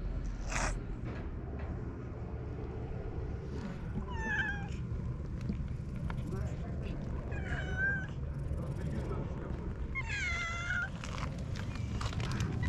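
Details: Stray cats on a cat island spending a calm, relaxed day together; three separate meows, rising then falling, arrive a few seconds apart over a steady low rumble and faint background murmur.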